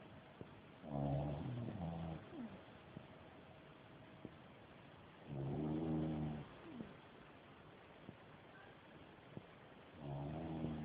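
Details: Loud snoring from a dog asleep at nap time: three coarse, buzzing inhalations spaced about 4.5 seconds apart, with a short squeaky exhale after each and low room hiss between.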